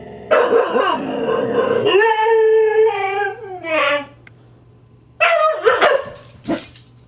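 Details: Grouchy Husky Siku reacting indoors to teasing from Husky puppy Loki: drawn-out, tonal, howl-like grumbles with a wavering, then falling pitch, a brief pause, and a second burst of rougher, yelping vocalizing near the end.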